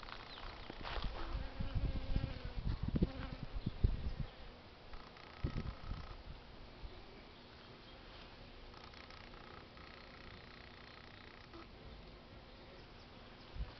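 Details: Honey bees working flowers, a close pass brings a clear humming buzz in the first seconds, mixed with low bumps, then fading to a quieter background drone.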